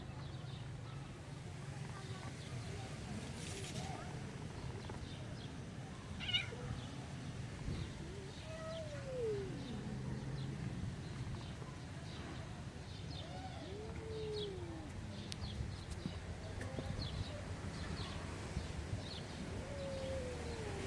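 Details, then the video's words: Hungry tabby street cats run up begging for food, one of them angry; several soft rising-falling meows spread across the recording over a low steady background hum, with a few faint clicks. "The tabby cats on the street came running to me and asked for food, but one of them was angry."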